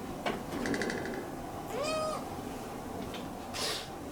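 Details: A Munchkin kitten, normally free to roam the room, is shut in an indoor cage during ironing. It gives one clear, high, slightly arching meow lasting about a third of a second, with soft clicks and rustling in a quiet room.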